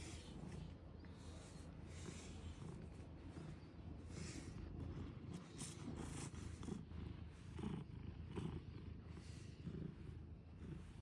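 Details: Large domestic cat purring while being brushed, a steady low rumble throughout, overlaid by repeated scratchy brush strokes.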